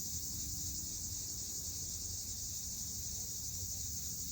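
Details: Cicadas sing in summer: an unbroken shrill, hissing buzz holds at a constant high pitch, over a low rumbling background and a faint brief tone near the start.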